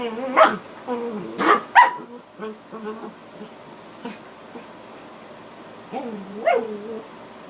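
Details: Adult female dog and her puppy playing together. Sharp yelping barks in a quick burst over the first two seconds, a few softer grunts and yips, then two more rising yelps near the end in a quiet room.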